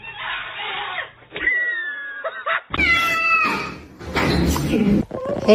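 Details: Kitten meowing and crying: several drawn-out meows with a slight downward bend in quick succession, mixed with human speech and indoor room noise.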